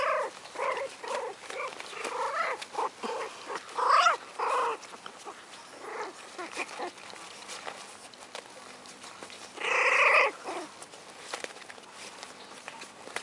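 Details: American Hairless Terrier pups, four weeks old, offspring of Rainy and Rudy, give short squeaky yelps in an uneven series, then fall quiet before one louder drawn-out whimper near the end, with faint shuffling between.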